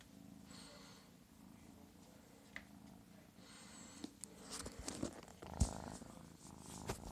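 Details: Annabelle, a kitten called Belly, purring: a steady low rumble runs through the clip, broken by a few soft clicks and rustles toward the end.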